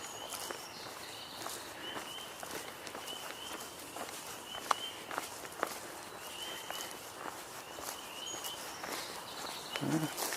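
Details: A distant chorus of frogs gives short, high trilled calls repeating about once a second, over crunching footsteps and brief speech, on 16 April 2022, soon after a song sparrow was heard.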